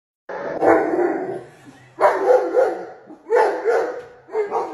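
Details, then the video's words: Pet dog barking at a hyena shown on television: three bursts of harsh, rough barks, each loud at onset then trailing off, spaced roughly every one to one and a half seconds. "Dog barking at hyena on the tv for chasing the little cob lion."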